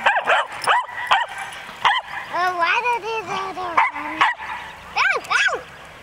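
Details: Four dogs play-fighting, with one dog barking most: sharp barks open, then drawn-out rising and falling whining yips and howl-like tones, ending in two quick high yelps.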